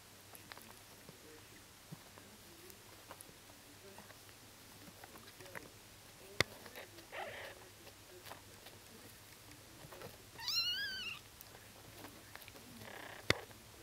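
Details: Bengal kittens at one day old; after long stretches of soft rustling and shuffling, one brief high wavering mew breaks through, bright and strongly harmonic, with a sharp tap near the end.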